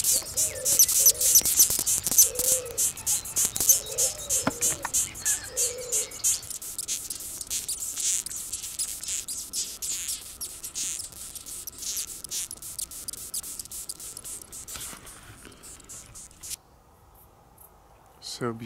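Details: Death's-head hawkmoth (Acherontia atropos) squeaking angrily: fast bursts of shrill, rasping squeaks for about ten seconds, then fading to sparse ticks before near silence, with soft low tones early on.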